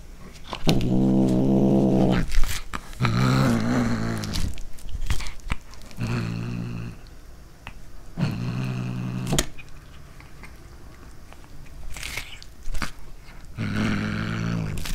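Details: Domestic cat growling as it eats corn for the first time: five low, rumbling growl bursts, each about a second long and roughly every three seconds, with crunchy chewing clicks and snaps between them.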